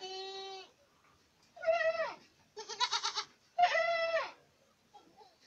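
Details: Boer goats from Acatlán de Osorio, Puebla: four loud bleats, one long and steady, then shorter quavering ones, including one with a tremulous pulsing quality.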